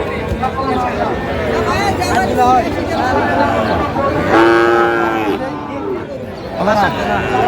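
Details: Sahiwal bull calf lowing at a Kushtia cattle market, Bangladesh, 8/5/25: one strong, harmonic moo lasting about a second starts at 4.4 seconds, with fainter bellows before and after, against a constant background of human chatter.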